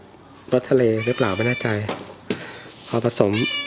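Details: Hungry stray cat called Som Uan, asking for food, repeats short arched meows in quick succession, four or five in a row, then two more after a pause, with a man talking over them.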